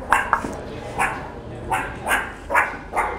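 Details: Hungry zoo meerkats give short, yappy barking calls about twice a second, clamouring for food at feeding time.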